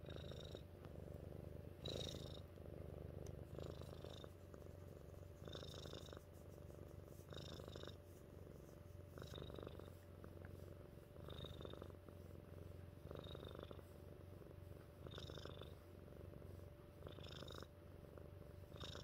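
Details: Pet cat Mittens keeps up a long, even purr, a deep vibrating hum swelling and easing about every two seconds, faint breathy hiss marking each cycle.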